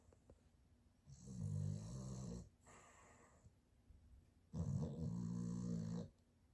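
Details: A tired, sleeping male Boston terrier snores in two loud, low, rattling rumbles, each over a second long, with a softer, airy breath between them. He sometimes pauses so long that his owners wonder if he is still breathing.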